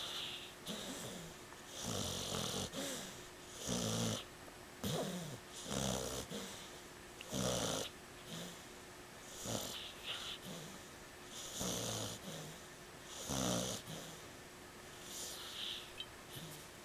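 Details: Cleo, a female pit bull, asleep indoors on a couch with a pillow and fidgeting, tongue out; loud rasping snores repeat roughly every two seconds, each breath a broad, rough burst with low throaty pulses, in a quiet room.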